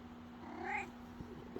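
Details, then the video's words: Black pet cat uttering one brief, soft, rising-then-falling meow, quiet against a low room hum, followed by a faint human throat-clearing. "Cat Meow"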